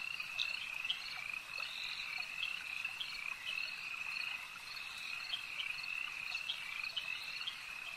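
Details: Frogs calling at a lake: a dense, steady chorus of rapid, trilling croaks that blend into a continuous high buzz, with brief brighter notes popping out above it. No other sounds intrude.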